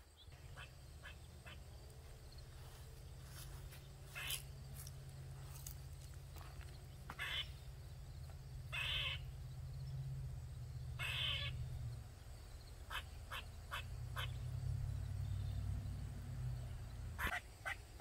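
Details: Squirrel calling loudly for over 45 minutes in a backyard in Maryland: scattered short harsh chips and a few longer buzzy notes over a steady low rumble.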